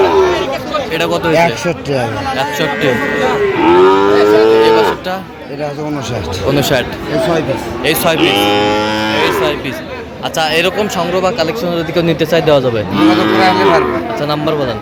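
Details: Sahiwal bull calves at a crowded market on 25 October moo repeatedly, some calls long and quavering, others short and overlapping, amid steady chatter of traders naming prices.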